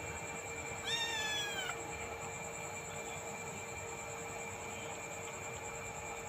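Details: Village cat playing with a small black snake that appeared; one drawn-out, wavering meow lasting under a second, over steady high electronic tones and a low hum, with people talking quietly.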